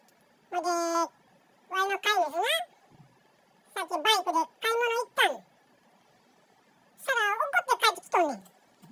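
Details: Male Bengal cat talking to itself indoors: bursts of chattering, warbling meows in quick runs, some rising and others sliding down, grouped into four bouts separated by quiet pauses.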